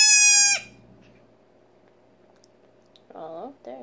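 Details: A female Nigerian Dwarf goat kid only six hours old, being syringe fed colostrum, gives one short high bleat; after a pause a woman's voice speaks softly to her.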